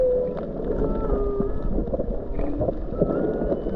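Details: A whale sings underwater off Hawaii's Big Island in January 2023, recorded while snorkeling, with drawn-out tonal moans and higher whistled notes over a low, rumbling wash of water.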